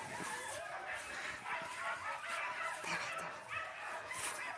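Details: A Yakutian Laika repeatedly yaps and barks, the calls bright and slightly whining, coming in quick uneven bursts of nearly two per second, with faint talk in the background.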